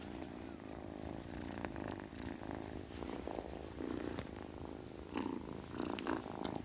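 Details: Low continuous purring from a kitten, a steady throbbing drone with brief rustles and small clicks scattered through.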